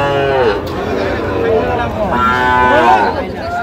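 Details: Sahiwal cattle at a busy Friday cattle market in Ambari, Dinajpur, Bangladesh, 1 August 2025: several arching, bellowing moos, one after another, over a background of crowd noise and voices.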